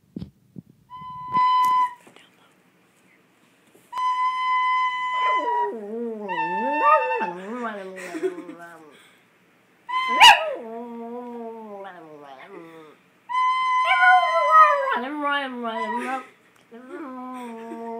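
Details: Chihuahua named Jack Blue singing along to a recorder: steady flute-like recorder notes alternate with the dog's wavering, sliding howls that rise and fall in long tonal phrases, with brief pauses between bouts.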